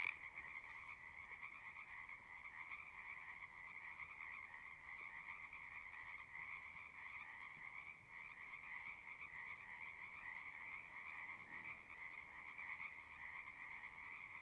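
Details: Singing frogs heard as a steady, distant chorus, a continuous droning trill of many overlapping callers with no clear breaks, set against a soft background hiss.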